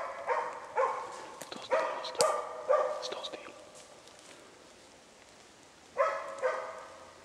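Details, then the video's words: Hunting dog during a moose hunt, barking while holding a cow and calf at bay; deep resonant barks in irregular bursts, a few close together then a pause, with distant rustling in the background. "zakko skällde ståndskall på ko och kalv"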